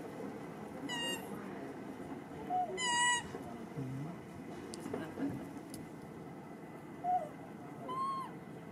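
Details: Young monkey Rartin, behaving aggressively and rudely toward his mother, lets out several brief piercing screams, each arching up then down in pitch, spaced unevenly, against a hissy background.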